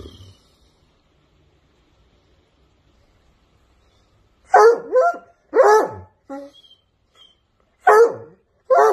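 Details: American English Coonhound, a hunting breed known for a loud voice that barks and bays at home; after silence, a series of loud, bawling bay-like barks in pairs with falling tails.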